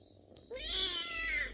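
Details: Pet domestic cat meowing to be fed, coaxing its owners for food indoors; one drawn-out harmonic meow that starts low, rises sharply, and holds a bright, slightly wavering tone before fading. Quiet room with faint background hum.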